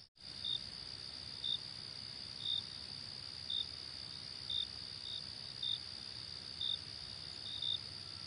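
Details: Crickets keep up a constant shrill ringing while single short chirps sound roughly once per second, fairly evenly spaced. Nothing else is heard.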